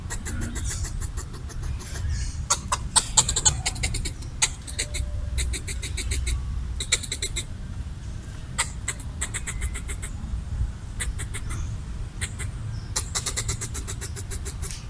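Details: Red squirrel guarding coconut bits it was eating, chattering at a perceived threat: repeated bursts of hard clicking chucks in quick runs across the whole stretch, some clusters tight and rattling, with a continuous low background drone.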